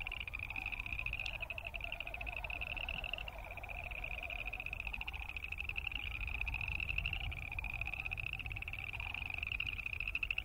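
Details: Boreal chorus frogs calling together, recorded in the field alongside Wilson's snipe and sandhill cranes: a steady, densely pulsed, creaky trill held high and continuous throughout, with a lower wavering pulsed sound beneath and a faint low rumble.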